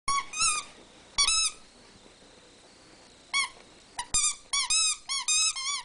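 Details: Rat Terriers Newton and Twinkie play-fighting indoors for household supremacy; short high squeals in bursts, some bending upward and down, with quiet gaps between flurries.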